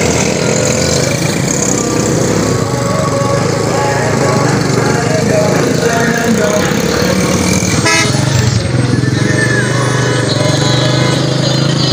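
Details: Busy street noise with steady engine rumble, repeated car and motorcycle horns, and people talking throughout; no animal sound is heard.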